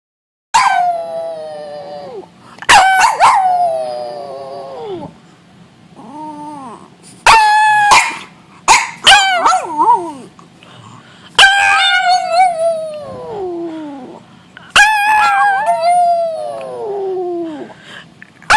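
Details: Pet dog making noises together with its owner: drawn-out howls with bright stacked harmonics that slide downward, broken by short sharp barks and yips, pauses of near silence between bursts.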